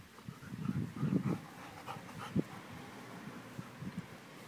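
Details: Labrador Retriever waiting for Santa, giving low, breathy whimpers and grunting huffs in short clustered bursts, a loud single snort near the middle, then quieter soft pants over a faint room hum.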